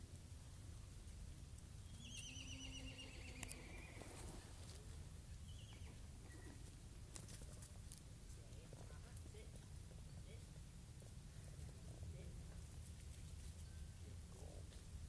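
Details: Miniature horses at Sunset Mountain Miniatures meeting a toy horse; one drawn-out whinny slides downward in pitch with rich overtones early on, followed by quieter stretches of steady background rumble and faint scattered sounds.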